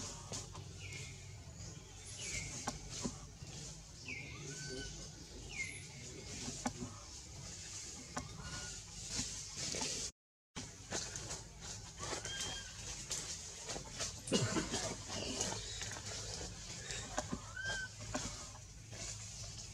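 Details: Frightened baby monkey Anissa cries for her mom while held by monkey Aron: a run of brief high arched squeaks in the first seven seconds, a few more later, against hissy outdoor background.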